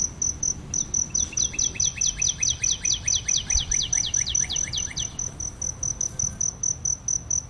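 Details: High, evenly pulsed cricket chirping beside aloe vera flowers, interrupted in the middle by a rapid series of about fifteen descending sweeping notes, then steady pulses again.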